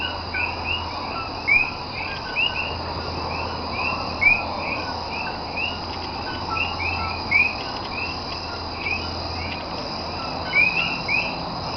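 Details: Nighttime coquí frogs in Cayey, Puerto Rico, 28 January 2010: scattered sharp rising chirps from several callers over a continuous insect-like drone and a faint low hum.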